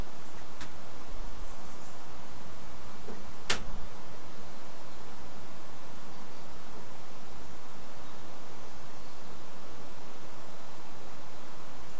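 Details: Steady broadband hiss fills a woodland camera recording, broken only by a couple of sharp clicks and no animal voice.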